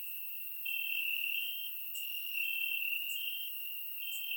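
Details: Crickets chirping in grass at night on a warm summer night in Bulgaria, recorded with a surround microphone: a steady high continuous trill with overlapping callers, louder pulses swelling in and out, faint higher ticks above.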